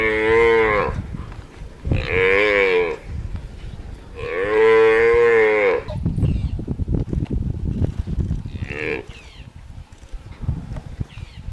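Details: African buffalo calf being attacked by wild dogs, calling out in distress: three long, loud harmonic bawls of about one second each, the middle one longest, followed by scuffling noise and a fainter short cry.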